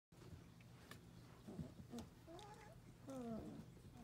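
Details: Four-week-old Portuguese Water Dog puppies giving a few short, thin whining squeaks, the last ones sliding downward in pitch, set against a steady low electrical hum indoors.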